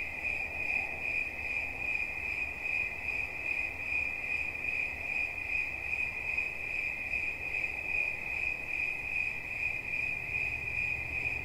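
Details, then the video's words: Unbroken high, thin cricket trill, rapidly pulsed and steady in loudness, with quiet low-frequency noise in the background. "Świerszcz. Dźwięki relaksacyjne"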